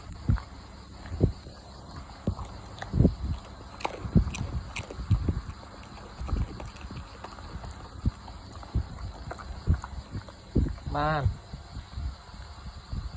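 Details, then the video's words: Dog eating, heard as uneven chomping and crunching knocks at a quick, irregular pace, with a brief tonal whine-like sound just before the final stretch of chewing. "Listen the sound of this dog eat"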